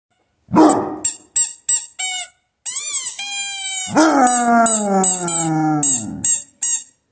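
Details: Basset Hound howling: a few short harmonic yelps, then a long sustained howl that slides slowly downward in pitch. High steady tones run through much of it, and music is heard around it.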